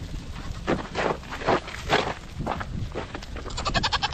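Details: Nigerian Dwarf dairy show goats giving a run of short, breathy bleats about every half second, ending in a sharper, higher quavering bleat, with low rumble beneath.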